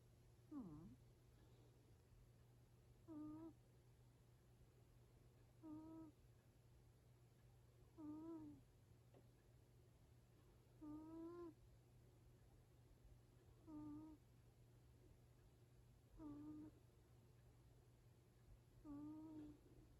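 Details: Yaju, a sleeping seven-year-four-month-old Exotic Shorthair cat, snores with a whistling 'puu-puu' note. Eight short, tonal, slightly rising snores come about every two and a half seconds in a quiet room.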